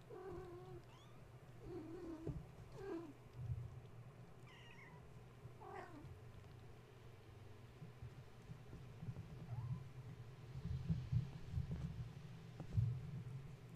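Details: Awake at bedtime after a space heater was plugged in, Gaia's kittens scramble about the kennel and fence, giving a series of short, soft mews and meows amid frequent bumps and scuffling over a continuous low hum.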